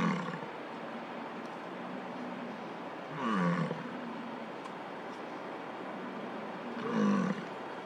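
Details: During a summer bison jam in Yellowstone's Lamar Valley, a rutting male American bison bellows toward a car to get a female's attention: two loud, low, gravelly roars about four seconds apart against constant low background noise.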